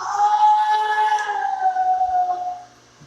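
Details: A male gray seal in rehabilitation gives a long, mournful, wailing moan that slowly slides lower in pitch, in the pool at a marine mammal stranding center in April.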